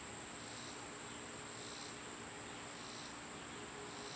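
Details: A summer cicada chorus, loud at this time of year: an even, piercing high whine holds without pause, with fainter throbbing buzzes swelling about once a second beneath it.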